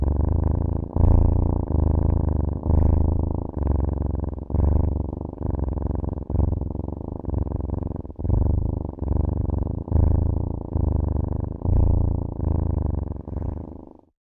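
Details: Loud purring from a cat, a steady low vibrating drone pulsing with each breath roughly every second and a half, ending abruptly after fourteen seconds.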